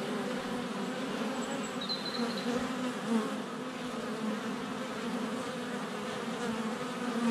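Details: Swarm of honey bees flying at the hive entrance on a sunny February day, recorded under a foot away on a GoPro Hero 7 Black; continuous buzzing drone, with a short high bird whistle heard faintly near two seconds.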